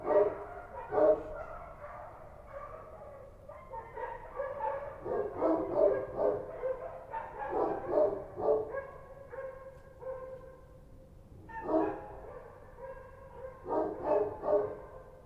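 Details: Kochi dogs on the streets of Kabul barking at night: irregular, overlapping volleys of gruff barks, some louder and nearer, with short lulls between clusters.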